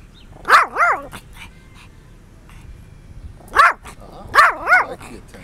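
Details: Dog giving a quick pair of sharp barks, then after a three-second lull another double bark and a further pair, each bark bright and slightly rising then falling, with quiet background between.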